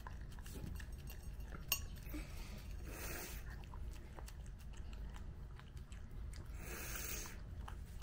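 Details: Nezuko, a one-year-old Mame Shiba, eats her first-ever cake on her first birthday, licking at it; soft, irregular wet chewing and licking clicks over a steady low rumble of background noise, with a few louder crackles.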